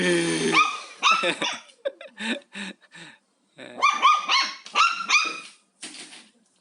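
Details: Pet dog at home barking at a vacuum cleaner it is wary of; machine hum at the start, then bursts of sharp barks and yelps mixed with brief clicks and a person's voice nearby.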